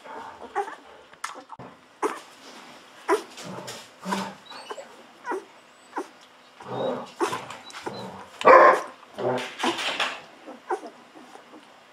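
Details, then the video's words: Golden Retriever puppies at fourteen days old taking milk from a bottle; broken grunts, squeaks and short whines come in bursts between loud slurping and smacking, with one sharper squeal in the middle. "Hungry Babies drinking wildly Milk"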